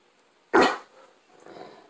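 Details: Great Dane throwing a temper tantrum because the bone he already had wasn't good enough: one short, loud bark followed by a softer, drawn-out grumble.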